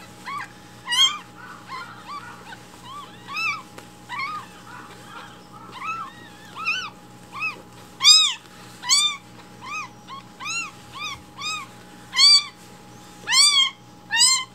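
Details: Rescued baby kittens loudly demanding their morning milk while it is being prepared indoors; many high, arched mews from several kittens overlap, short and rising-falling, coming every second or so and growing louder toward the end, over a steady electrical hum.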